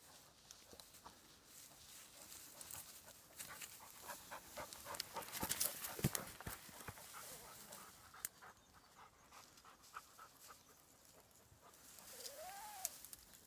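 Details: Dogs King and Patsy in hunting mode on their home property, as happens daily. They pant in quick breathy bursts, about two per second, with a louder stretch midway and a brief rising whine near the end.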